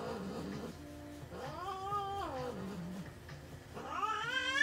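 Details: American Shorthair cat during veterinary treatment giving quiet drawn-out meows, one arching cry near the middle and another rising at the end, over faint room noise.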